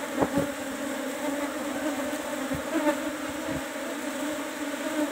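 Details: Asian honey bees (Apis cerana) at a hive box during a honey harvest: steady low humming buzz with a tone and overtones, sharp clicks and knocks scattered through.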